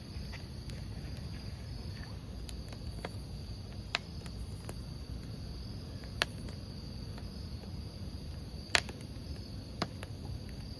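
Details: By a crackling campfire, crickets keep up a level, high-pitched trill without pause; loud wood pops and small snaps punctuate it irregularly, with a dull low rumble of fire throughout.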